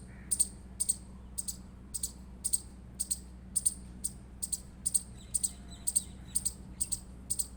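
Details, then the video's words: Indian palm squirrel calling with crisp high chirps, many doubled, steadily spaced about twice per second against a quiet low hum. "Indian Squirrel Chirping Sound Effect"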